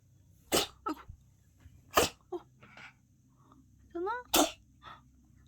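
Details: A cat sneezing like a person after dust got into its nose: sharp broadband sneezes near 0.6, 2.0 and 4.4 seconds with softer snorts between, plus a brief rising-falling voiced sound just before the last sneeze.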